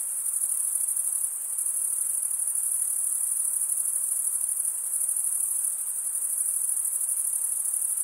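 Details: Crickets stridulating, the chirping made by rubbing one wing's edge along the toothed vein of the other, in a dense, unbroken, very high-pitched shimmering trill held steady throughout, with no other sounds.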